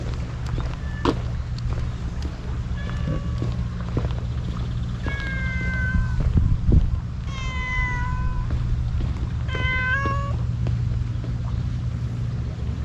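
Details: Stray cat wearing a scarf, met on an empty road on a cat island in Japan and fed, gives several clear, drawn-out meows with rich harmonics, spaced a few seconds apart, over a steady low hum.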